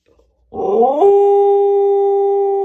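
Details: Siberian Husky puppy howl that starts with a short rising, slightly rough slide, then settles into a clear, steady, sustained tone held to the end.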